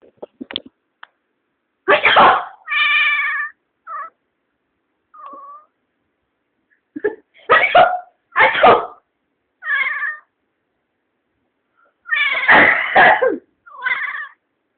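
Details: Pet cat surprised and startled by its owner sneezing; harsh noisy bursts alternate with drawn-out harmonic meows and short yowls, about a dozen calls spread over fifteen seconds against an otherwise silent background.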